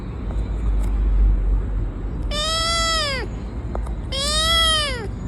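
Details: Cat calling out when touched: two loud, drawn-out harmonic meows about a second long each, steady then sliding downward at the end, separated by a short pause over a low background rumble.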